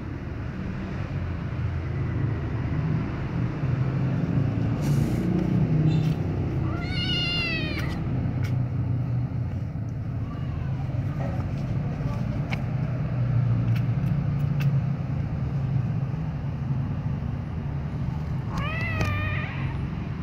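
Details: White kitten, licked by its mother, gives two drawn-out, wavering meows about twelve seconds apart, over a steady low rumbling background with scattered faint clicks.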